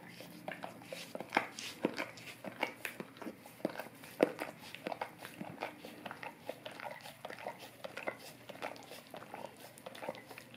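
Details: Indoors, a golden retriever laps at an Orapup tongue cleaning brush for breath freshening; sharp, moist tongue clicks and smacks repeat rapidly and unevenly, some louder pops standing out against a low background hum.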